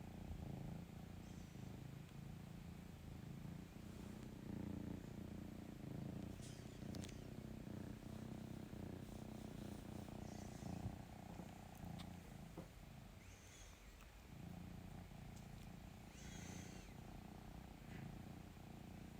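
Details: A female pet cat purrs as she seeks love and cuddles: a deep, even rumble sustained for the whole stretch, with occasional faint rustles and a soft dip in loudness near the middle.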